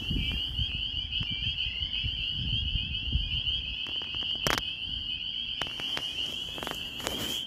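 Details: Chorus of spring peepers in Maine in early spring, snow still visible: continuous high-pitched peeping blends into one ringing tone, with low rumble beneath and a few sharp knocks and clicks midway.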